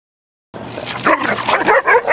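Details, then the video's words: Aggressive dog in a dog-to-dog aggression setting: after half a second of silence, a burst of sharp, high yipping barks and whines, tightly packed and overlapping, with strong harmonics, continuing to the end. "Dog to Dog Aggression"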